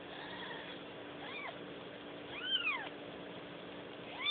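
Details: Newborn kittens giving three short, thin, arched mewing cries spaced about a second apart, each rising then falling in pitch, over a steady low electrical hum.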